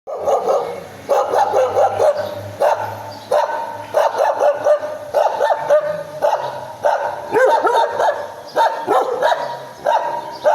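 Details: Dog barking in a very high-pitched, annoying tone; sharp barks come in quick bursts of several, repeated through the recording with short pauses between groups.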